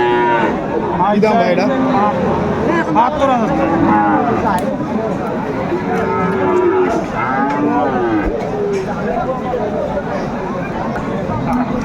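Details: Bull calves of Friesian and cross breeds at the Aftabganj cattle haat in Dinajpur, 10 September 2024; repeated overlapping moos, some drawn out, some clipped, from several animals beneath constant market chatter and voices.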